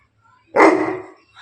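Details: A single loud, deep bark from a Bully Kutta dog in Bangalapudur, rough and broadband, lasting about half a second before trailing off, with a faint second sound starting near the end.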